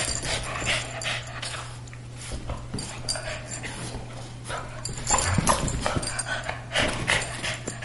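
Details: Two pet dogs, a greyhound and a Boston terrier, playing indoors as they do almost daily: panting, snorting and broadband scuffling bursts, with louder rough bursts after five seconds and a steady low hum behind.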